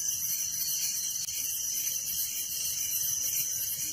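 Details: Crickets chirping at night in a village: a dense, steady, high-pitched shrill chorus with fast pulsing throughout, a fainter pulsed band lower beneath it, and no other clear sounds.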